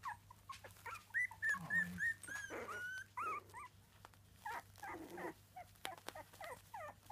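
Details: Three-week-old Miniature Dachshund puppies squeak and whine in high, overlapping bursts, with a steady low hum underneath.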